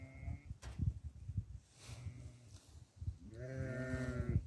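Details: Goat at barley feeding time gives a short bleat at the start, then after chewing and rustling noises a longer, quavering, nasal bleat that holds steady for about a second before fading.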